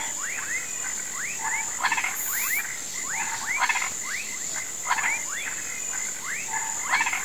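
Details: Frogs and toads croaking in a swamp at sunset, said to be calling for rain: a chorus of rising whistled upsweeps repeated about every half second, broken by short rattling bursts, over a steady high insect drone.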